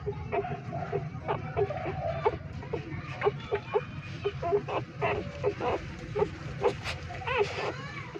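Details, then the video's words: Hungry three-day-old newborn street puppies nursing from their mother inside a pipe give short, thin squeaks and whines in quick irregular bursts over a steady low rumbling hum. "3 Days Old Newborn Puppies Nursing and making Sound so Loudly in Pipe, Hungry Puppies Breastfeeding"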